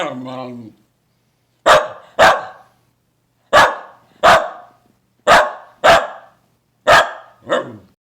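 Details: Pet dog barking: a brief low whine opens, then sharp single barks in pairs roughly every second, ending in a softer lower yelp, with silence between barks.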